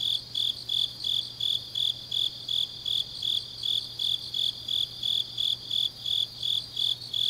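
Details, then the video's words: Grass insects on a deep autumn night in Changnyeong, Gyeongnam, South Korea: a steady high chirping, pulses repeating almost three times per second around one bright pitch, with a fainter higher layer of other insects and a low steady hum beneath. "깊은밤 가을 풀벌레 소리"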